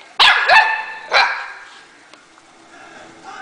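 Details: Puppy vocalizing at its owner, described as talking: three short, sharp bark-like yelps in quick succession, rising then falling, followed by near silence and faint room noise.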